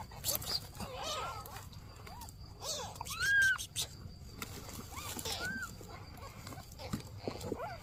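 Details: Mother cat asking for help beside her newborn kittens: scattered short arched meows, one louder clear rising-falling cry in the middle, over soft rustling and low background noise.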